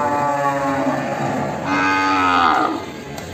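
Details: Limousin calf, Ambarketawang, Sleman, in the morning: a sustained low moo leads into a second, rising and louder call, against a backdrop of murmuring people.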